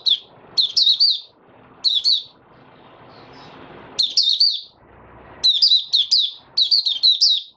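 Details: White-eye in a cage warming into its song, 8 January 2022, delivering a string of high, rapid chirped phrases, some clustered closely, with a quieter gap of background hiss midway.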